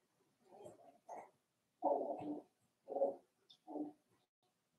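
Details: Four-week-old Cavalier King Charles Spaniel puppies from Daisy's litter in their puppy pen give soft, muffled whimpering grunts, five short mid-pitched bursts spaced about a second apart in a quiet room.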